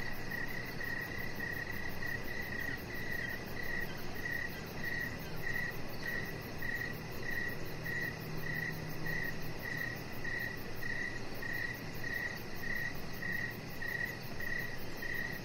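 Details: A cricket chirps steadily outdoors in the evening, short pulsed notes repeating at an even, brisk pace.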